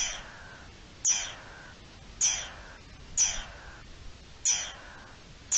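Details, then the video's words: Alarm calls of a garden dormouse, dated 03-04-21: four or five hoarse, falling screeches spaced about a second apart, each beginning with a piercing high note and dropping into a rough hiss. "Alerta del lirón careto"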